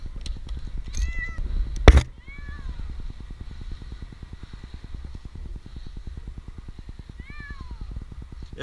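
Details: Jinx, an 8-month-old kitten stranded two nights in a tree in Newark, Ohio, gives three descending, arched meows during his rescue, over a steady low mechanical pulsing and a sharp clatter near the two-second mark.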